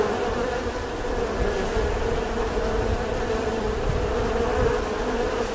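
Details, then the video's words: Dense buzzing of bees, an even continuous hum of many wingbeats over a low rumbling background. "Âm thanh con ong|The sound and picture of the Bee"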